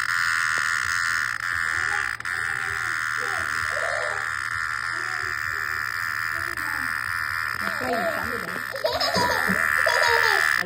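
A cicada's steady, buzzing drone runs unbroken under people talking nearby.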